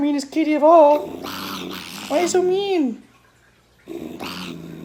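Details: A domestic cat making strange noises: wavering, drawn-out growling yowls that rise and fall in pitch, broken by harsh breathy hissing bursts, with a pause of near silence before a final hiss and growl; a person's voice talks alongside.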